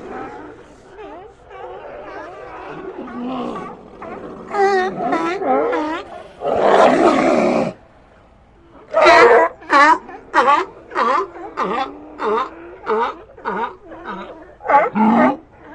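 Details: Sea lions giving overlapping moaning calls and a loud roaring burst, followed by a steady run of short harsh barks repeated roughly every half second.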